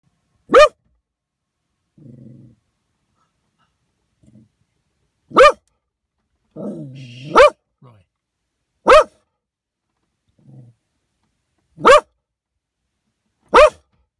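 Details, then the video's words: Dog barking at a young bear that was eating grass beside a back road in Lake County: single sharp barks spaced a few seconds apart, six in all, with soft rustling and murmured sounds between them. "Roy barks at a bear."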